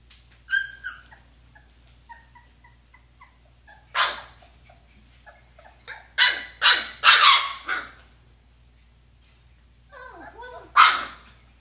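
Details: Golden retriever puppies, 23 days old, together in a litter. Thin, quavering high whines come first, then loud, harsh, broadband yelps and bark-like bursts. The bursts arrive singly and in a quick cluster of three, with a last sharp yelp near the end.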